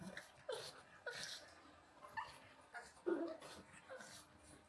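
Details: Two dogs, a pug named Walter and a husky named Rhett Butler, play-fighting indoors; short rough growly vocal bursts and yips come in quick broken bouts, with brief whimpering tones and some rustling between them.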